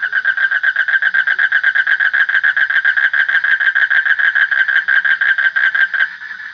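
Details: Continuous pulsing frog call, each beat a rough nasal note with layered overtones, repeated quickly and evenly for about six seconds before fading into quiet.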